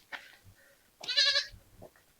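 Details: Frightened lone goat kid in a pen at an isolated forest village, on a hot, sunny day, bleats at an approaching visitor: a loud, wavering, nasal cry lasting under half a second, preceded by brief faint calls and rustles.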